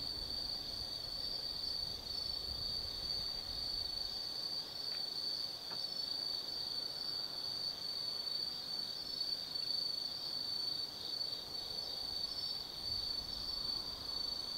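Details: Forest insects on an autumn night at Tsukimi no Mori, Kaizu, Gifu, Japan, near a viewpoint above the Nobi Plain; a bright sustained high-pitched chirring chorus, steady throughout, with a couple of faint clicks midway.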